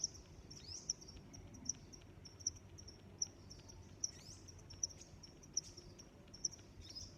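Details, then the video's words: Crickets chirping in nature: a steady high-pitched hum with sharp, bright chirps about every 0.8 seconds over a soft low background rumble. "Sounds of Crickets"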